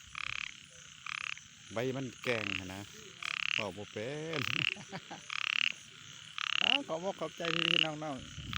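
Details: Frogs calling at night: short buzzy bursts at about one per second, each with a thin whistled tone inside, while lower warbling harmonic calls weave in between.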